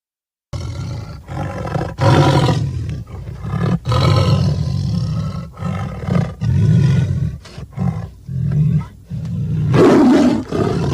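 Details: Tiger roaring in a series of deep, rough bursts with strong low rumble, separated by short gaps, the final burst harsher and higher.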